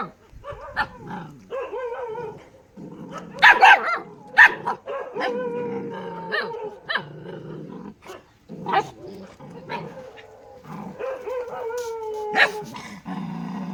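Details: Excited dog barking: bursts of loud barks mixed with growly rumbles and high whining tones, continuing almost without pause throughout.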